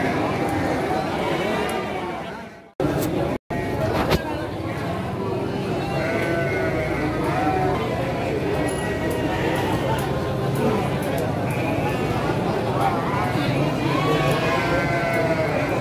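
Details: Many Garut sheep ewes bleating at Andir livestock market in Garut, 5/4/2021; quavering, wobbling bleats repeat in quick succession among many callers, over a dense bed of human talk, with short gaps near three seconds.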